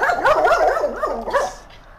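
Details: German Shepherd described as aggressive toward other dogs, voicing a run of loud, wavering yelping whines that rise and fall rapidly for about a second and a half before fading into quiet room noise.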